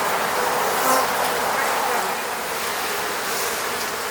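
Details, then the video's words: Honey bees from the Moscow region, Russia, buzzing around their hive at an eco-apiary; a dense, steady hum of many wings fills the clip, with a brief louder swell near the first second. "sound of bees buzzing around beehive."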